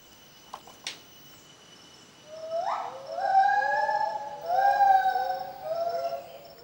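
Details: Gibbons singing at the Phuket rehabilitation centre, heard by a young gibbon for the first time: two brief sharp clicks, then a rising whoop leading into sustained, wavering hooting notes that overlap and fade.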